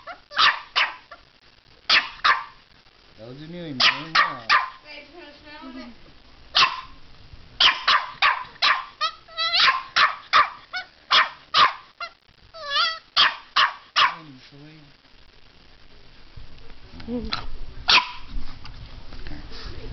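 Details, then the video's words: Puppy barking at a fake alligator head that holds its teddy bear: sharp, irregular barks in quick runs, mixed with whining, yips and a person talking to the dog. "puppy barking at alligator"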